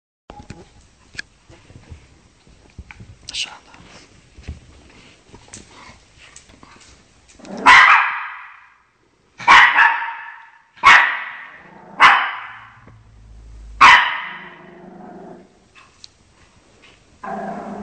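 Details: Shih Tzu named Chocolate defending its territory against actor dogs barking on television; after several quiet seconds of faint indoor clutter, five sharp, loud barks come in irregular succession.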